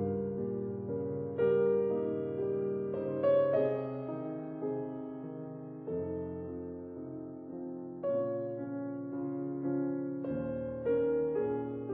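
Soft piano music plays throughout, with sustained chords and no animal sounds.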